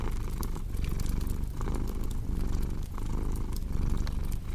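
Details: Domestic cat purring for relaxation and sleep, a steady low rumble with breathing cycles about every second, mixed with sharp crackles and pops from a cozy fireplace.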